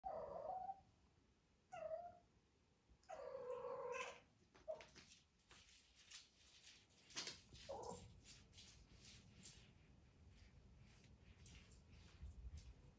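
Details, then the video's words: Small domestic cat meowing while hunting a fly indoors: a few short, nasal meows in the first seconds, one longer drawn-out cry near three seconds, then scattered softer sounds and light handling noise. "Sad Smoll Cat Meowing For A Fly"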